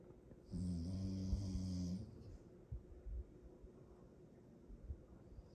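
A Rottweiler gives one long, rumbling snore with a buzzy, low growl-like drone.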